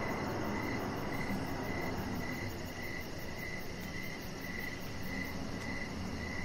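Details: An evening cricket chorus outside near a deck: even, repeated chirps at a quick steady pace over dense low background noise.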